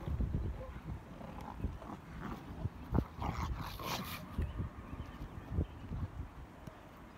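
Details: Pack of Rottweilers playing, biting and chewing during a three-way tug-of-war with hemp ropes: rough low growls and grunts in uneven bursts, with some human voices in the background.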